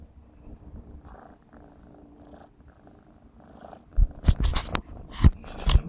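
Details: Close, low rhythmic purring from Clarence, a 4½-month-old black smoke Maine Coon kitten at play, quiet at first, then loud thumps and rustling bursts in the final two seconds.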